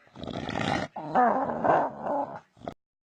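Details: Domestic dog making weird sounds: a low, throaty, rumbling growl that rises into a wavering moan for about two seconds, then stops with a brief grunt and silence.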